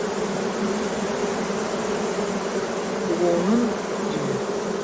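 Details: Honey bees kept for beekeeping give a constant, unbroken wing buzz, dense and steady throughout, with a soft swooping tone briefly near the end.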